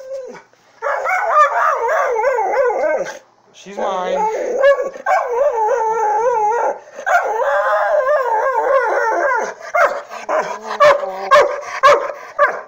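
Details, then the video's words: Jealous over his human, Thor the Saint Bernard/Pit Bull mix produces sustained, warbling howl-like yowls in long phrases broken by short gaps, ending in choppier barks; a human voice is faintly mixed in. "Saint Bernard/pittbull mix being jealous"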